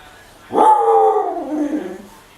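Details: Female husky asking for food, a drawn-out vocal whine-howl that starts high and slides slowly downward over about one and a half seconds, with a woman's voice talking to her before and after.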